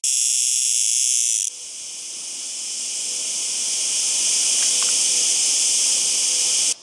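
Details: Singing cicada producing a loud, steady, hissing buzz high in pitch that runs unbroken throughout, with a brief abrupt cut and level shift early on.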